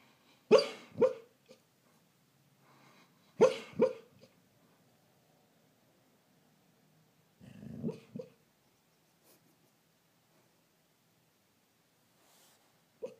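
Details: Sleeping rescue greyhound Truly, a female, lets out dream woofs: paired soft muffled barks with breathy puffs, three bursts spaced a few seconds apart across quiet indoor stillness, ending on a faint single woof.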